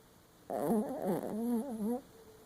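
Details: Sleeping Papillon Chihuahua dreaming with one eye open, giving a wavering, moaning whimper of about one and a half seconds that rises and falls in pitch, with rich harmonics, indoors in a quiet room.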